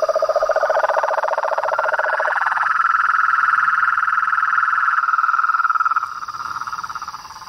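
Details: Frogs and toads in nature: a low pulsed croaking trill opens, then gives way to a loud, fast, even trill that holds steady before fading after about six seconds.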